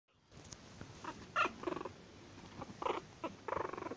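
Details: Furious Chihuahua producing short, pulsed snarling bursts in quick succession, each rough and mid-pitched, with brief gaps of quiet between them and a faint room hum underneath.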